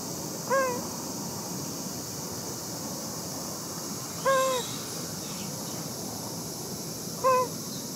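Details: Cat Shin-chan, back home in good spirits after sheltering from severe heat at a place supporters prepared, gives three short, clear, level meows spaced about three to four seconds apart over a constant high hiss of background noise.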